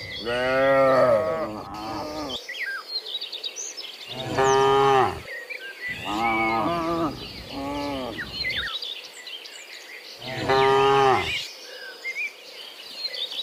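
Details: Dozens of cows walking home from the fields to the pen in the afternoon; loud harmonic moos, several overlapping, about four bouts of one to two seconds, with birds chirping and a steady insect hum behind.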